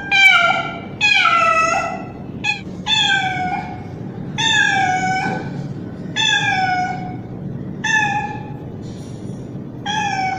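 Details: Young male street cat, described as calling a female in heat, gives a rapid series of about nine meows, mostly long with a few clipped short ones, roughly one each second, against a low background rumble.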